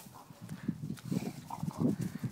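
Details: Bill, an English Bulldog, plays with a basketball, giving low, rough growling grunts in quick uneven pulses over about two seconds, with a brief higher note in the middle.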